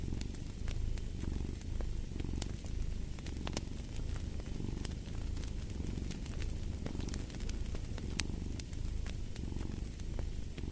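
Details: Continuous low purring from a cat, its deep pulsing rumble rising and easing roughly every second or two, while a log fire snaps and crackles throughout.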